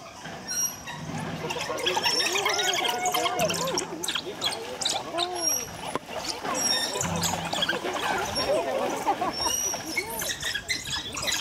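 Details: African wild dogs (Lycaon pictus) at Yokohama Zoo Zoorasia, Kanagawa, Japan, on 25 August 2018, bursting out during an enclosure swap before the night zoo and giving high-pitched calls while running. Dense, rapid arched chirps overlap, with many visitor voices throughout.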